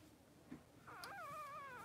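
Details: Three-day-old Blenheim Cavalier King Charles Spaniel puppy, one of two newborn boys born to Pom-Pom, in an indoor puppy pen. After a soft thump, one long wavering whine rises and dips repeatedly, sustained to the end.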